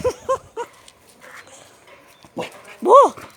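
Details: Boxer dog meeting a stranger: a few short, sharp yips, a pause, then a loud whine that rises and falls near the end, with a person talking nearby.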